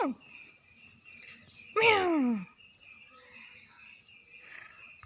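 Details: A very angry cat lets out one loud, strained cry that slides steeply downward over about half a second. A brief falling tail of another cry opens the recording, and the room is otherwise quiet.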